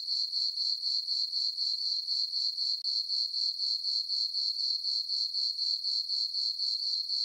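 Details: Summer-night crickets in a moonlit farm meadow, chirping in an even, shrill rhythm of roughly four pulses per second, each pulse at the same pitch. Nothing else is audible.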